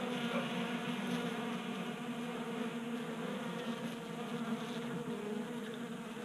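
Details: Close, even hum of honey bees feeding at a bee feeder in a Colorado garage on a 60-degree January day, a rich buzzing drone with layered harmonics throughout.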